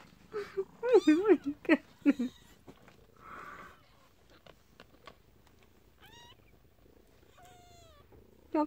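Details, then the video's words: Newborn kittens in their den, trying to escape, give thin, high-pitched rising-then-falling mews, two clear calls near the end, after a stretch of a woman talking and cooing over them. "Newborn kittens trying to.escape thief den"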